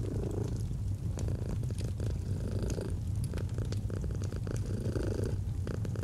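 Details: A domestic cat purrs in a low, even rumble, its inhale and exhale phases audible as soft alternating swells, over scattered crackling of a fire.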